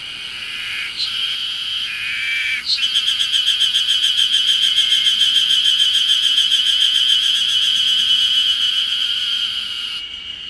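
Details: Ezo harusemi cicadas announcing early summer on Mount Ryozen, Date City, Fukushima, 20 June 2021; after a few drawn-out buzzes, one launches into a long, loud series of rapid rhythmic pulses, roughly three per second, for about seven seconds.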